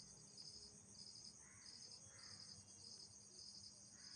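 Night insects sing a steady, high-pitched shrill chorus in pulsing bursts about every second.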